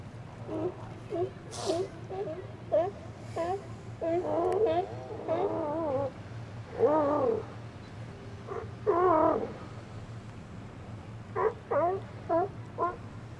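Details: Resident Steller sea lions relaxing on a sunny winter day in the outer harbour in January, chatting among themselves with wavering, warbling moans and short grunting barks in irregular bursts, over a low steady hum.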